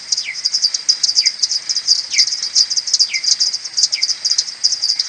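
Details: Returning to the maternity roost at morning, 21 May, common pipistrelles are slowed tenfold on an Audiomoth 1.1. A steady rattle of rapid ticks carries five drooping, falling social calls, close to one per second.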